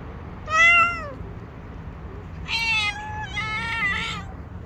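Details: Tabby stray cat with her street gang demanding food: one clear drawn-out meow, then a longer, harsher, wavering meow in two parts, over faint low background noise.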